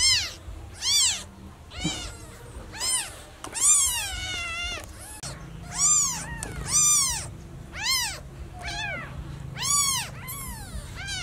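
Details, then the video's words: A lost newborn kitten meows very loudly for its mother in a rapid run of piercing, bent cries, about one per second, with a few longer wavering calls in the middle. "Newborn cat meowing too loudly for mom - Baby kitten meowing very much when lost mom"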